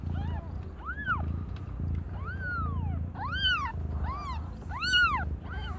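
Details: Aimee, a cat under one year old, giving birth to five kittens of different colours: repeated clear, bright, arched mews, some drawn out and sliding downward, roughly one per second, with a low humming background.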